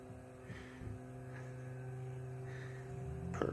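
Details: A steady low electrical hum fills a quiet room, with a brief soft knock near the end. No animal voice stands out.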